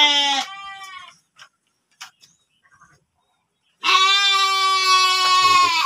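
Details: Breeding-stock sheep kept in a pen at a farm in Tanjungjaya, Subang, West Java, Indonesia: two loud, harmonic, slightly wavering bleats, one brief at the start and one long near the end, with faint shuffling between.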